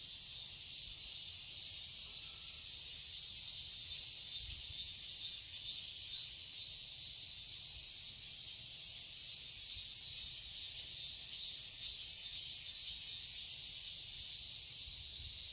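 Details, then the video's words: Cicadas sing in a summer garden in Seoul, Korea, producing a thick, steady high buzzing wash with soft rhythmic swells and no other distinct sounds. "Cicadas chirping sounds"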